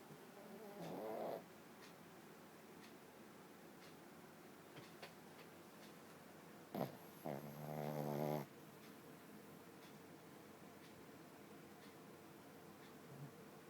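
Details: Sleeping dog snoring, two drawn-out rasping snores with a buzzy harmonic tone, one brief near the start and a longer one midway, separated by quiet breathing against a low steady background hum.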